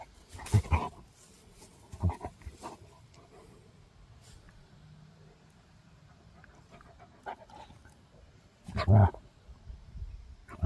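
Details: Gorlock The Destroyer, a pet dog, grunting while eating and playing; low, short snorting grunts in bursts near the start, around two seconds and a louder one near nine seconds, with quiet rustling between.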